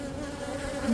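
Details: Honeybee drones in Florida leaving the hive to mate with queens: a continuous low buzzing drone with clear steady tonal bands and one bee passing close near the end.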